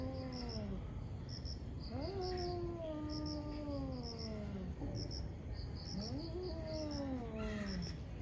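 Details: Two ferocious cats fighting in the morning: long, low, drawn-out wavering yowls that slide downward, three separate wails with short gaps, while steady high cricket-like chirping pulses run underneath.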